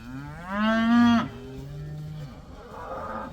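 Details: Cows let outside for the first time, one of them loudly mooing: a single strong, rich-toned moo lasting under a second, then a softer lower moo trailing off, with faint herd noise behind.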